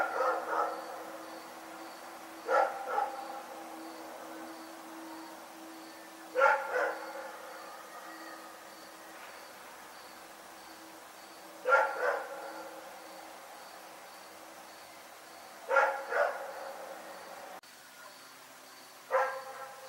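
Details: A dog named Rex barking at night, short harmonic barks in clusters of two or three, bursts returning every three to five seconds, with a faint steady high tone and low hum in the background.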